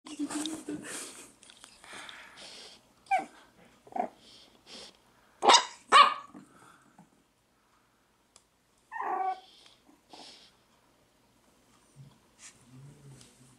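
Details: A Chihuahua gives short sharp barks and a few growly yelps in uneven bursts, loudest around the middle, with a person's voice talking in between and quiet gaps.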